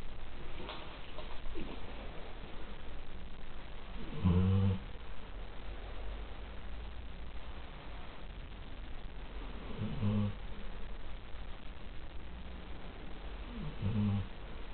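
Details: Elvis, a Labrador in weekend foster care, snoring at night; three short, soft snorting breaths spaced roughly five seconds apart, low and rumbling, against a faint room hiss.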